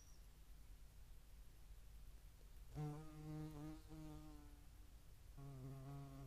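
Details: Flight hum of a European hornet visiting a feeding site, Dohr in the Eifel, 11 July 2022, with median wasps around; deep, slightly wavering buzz lasting about two seconds, a pause, then a second buzz starting, over low rumbling background.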